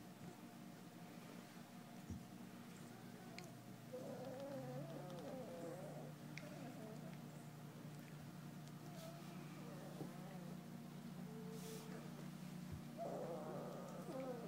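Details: Four-week-old English Golden Retriever puppies, AKC registered, from a litter of seven males and one female, give soft, wavering whimpers and squeaks in bursts, rising and falling, indoors over a steady low hum.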